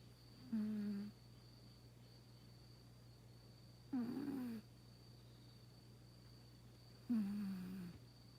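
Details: Very old house cat, in its 22nd year and said to be over 100 in human terms, snoring indoors: three nasal, humming snores, each under a second, spaced about three seconds apart over a steady room hum.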